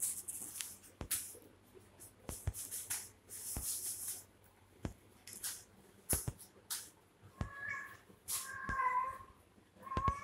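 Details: Baby kittens fighting with each other, with short high mewing calls near the end among repeated sharp clicks and scuffling noises.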